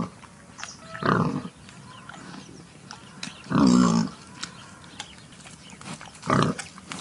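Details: Wild boar near the forest gives three separate low, rough grunts spaced a few seconds apart, the middle one loudest and slightly tonal, against quiet rustling background noise.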